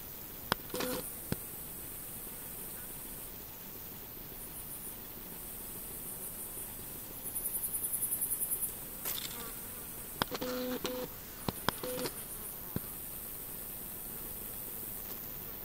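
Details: A female Frivaldszky's bush cricket (Pholidoptera frivaldskyi) in a humid meadow near Kosari, Cherkasy Oblast, Ukraine, on 5 July 2023, gives thin, very high-pitched buzzing that starts and stops, with a quick pulsed burst midway.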